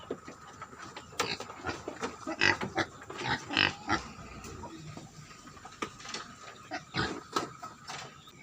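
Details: A farm-raised herd of wild boar hybrid pigs gives irregular, harsh broadband grunts and short squeals, loudest in the middle, over a steady faint background tone and occasional clatter.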